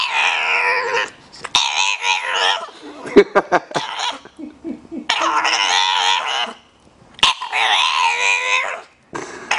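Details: Bulldog vocalizing in a way that seems like talking, with three long, moaning, harmonic grumbles of one to two seconds each, separated by short snorts, clicks and breathy pauses.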